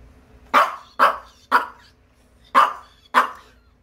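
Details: Irritated Maltese being groomed indoors barks five times in short sharp bursts, roughly every half second with a brief pause before the last two, a woman's voice heard around the barking.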